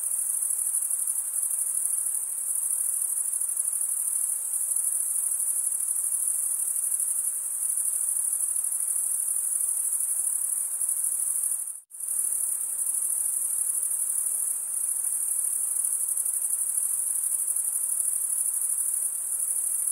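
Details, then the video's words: Crickets, males stridulating by rubbing one wing across the toothed vein of the other, make a steady, unbroken high-pitched trill that is cut by a brief silent gap about two-thirds of the way through; no other sounds. "cricket sound"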